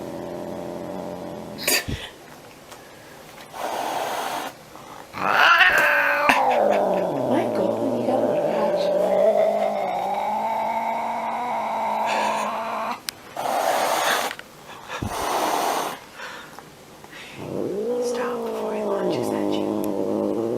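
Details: A cute house cat mixes short airy hisses with long wavering growls and moaning yowls that swell and fade, the hisses bursting out between the growls.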